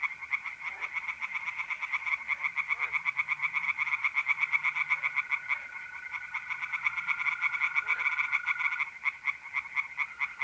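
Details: Pond chorus of tree frogs at night in mid-April, north-eastern Italy, a dense run of fast, clicking pulsed croaks carrying through the whole stretch, with the continuous even buzz of trilling mole crickets beneath.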